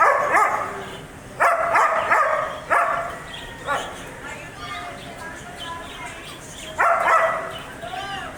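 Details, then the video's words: Barking German Shepherd: a quick run of four harsh barks in the first three seconds, then a softer bark and a pause before one more loud bark near the end. "German Shepherd Barking Sound Effect"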